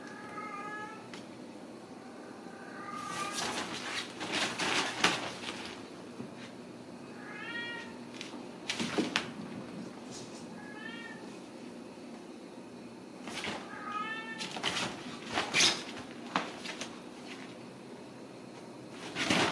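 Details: Ragdoll kittens raised indoors without cages at a home cattery in central Kansas, giving five thin, high meows with rising-falling pitch, spaced a few seconds apart, among frequent clicks, taps and knocks in a small room.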